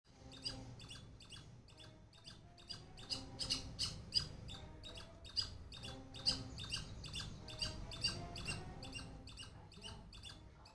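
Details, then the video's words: A squirrel making noise: a run of short, harsh, clicky barks, about two or more per second, softer at first and then louder and uneven, over a low steady rumble. "The squirrel is making noise."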